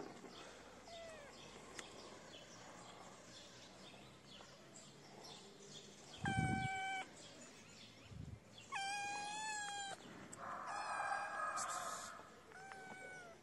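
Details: Feral kitten crying for food while its mother is nearby: two loud, drawn-out harmonic meows a few seconds apart, the second longer and level, then a softer rasping cry, with rustling and a low thump between them.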